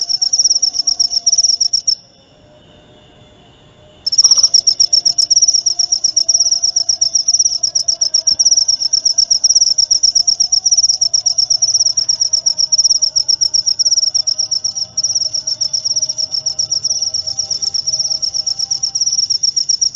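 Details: Continuous high-pitched cricket trill of rapid even pulses, falling silent for about two seconds early on before starting again with a sharp click and running unbroken to the end.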